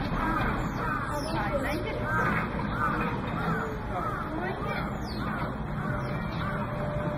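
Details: Newborn Asian small-clawed otter pups on their first day give thin, high squeaks and chirps, several each second, over a steady low rumble with a voice murmuring in the background.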